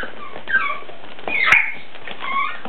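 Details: Bull Terrier in Tokyo giving short, high, tonal whines that bend up and down, a brief one near the start and a louder sliding whimper in the middle, over a steady low background hiss.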